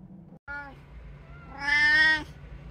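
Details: One of three household cats on an ordinary day, recorded 26 October 2023: a short clipped meow followed a second later by a louder, longer drawn-out meow, over a low household hum.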